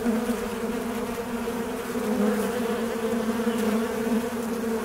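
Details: A fly drones without pause, its low buzzing hum and brighter overtone wobbling gently in pitch, loudness swelling a little near the middle before settling again.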